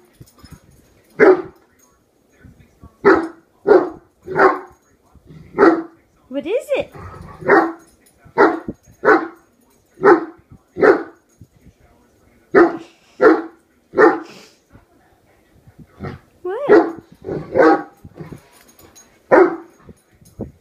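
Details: Horton, a one-year-old Great Dane, barks incessantly at a hairbrush to protect his human family: a steady run of loud, deep barks, often in quick pairs, with brief whining yelps partway through.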